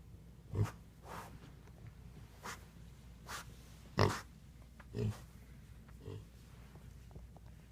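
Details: Miniature pig; grunts; expressing annoyance, grumpiness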